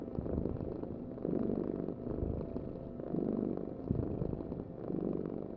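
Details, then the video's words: Close, deep purr of a house cat, rumbling in rhythmic swells roughly every two seconds as the cat breathes in and out, nothing else audible. "Heal with the ultimate cat purring vibration"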